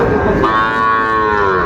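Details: Sahiwal bull calf at Raniganj cattle market in Bangladesh, one sustained moo that jumps up in pitch and holds steady, with market crowd noise beneath.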